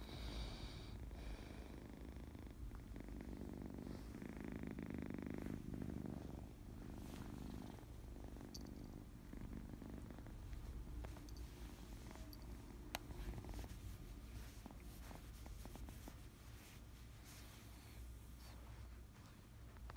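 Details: Kitten purring contentedly while playful and happy, a long low rhythmic rumble cycling with each breath, louder in the first seconds, with soft rustling and occasional clicks.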